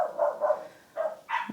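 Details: Domestic dogs outside, scolded as naughty, giving short bursts of barking: three rapid barks, a brief gap, then two more loud yaps.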